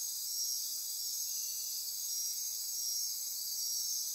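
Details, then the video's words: Insects calling after dark in the Osa Peninsula rainforest of Costa Rica, near Corcovado National Park; an unbroken high, pulsing drone of overlapping trills with gentle rhythmic throbbing. "Costa Rica Rainforest - Midnight Insect Chorus"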